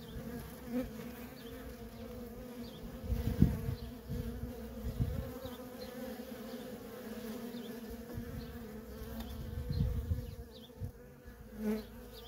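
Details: Worker honey bees crowding the entrance of a feral colony, a steady low hum broken by louder buzzing surges and thumps as individual bees pass close.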